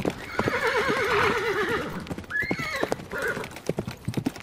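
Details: Horse lets out a drawn-out whinny with a strong rippling tremble, then a sharp rising squeal and a softer short neigh, hoofbeats audible throughout.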